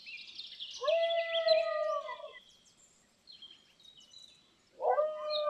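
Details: A lying dog gives a long, even, mid-pitched moan lasting about one and a half seconds, then goes quiet. High faint chirps follow before a second moan begins near the end.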